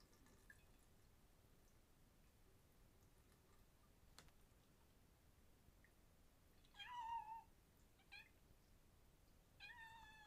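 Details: Male cat exploring his new home and playing with water at a sink in a quiet indoor room; two short, rising-then-falling meows come late, separated by a few seconds, with faint clicks and drips between them.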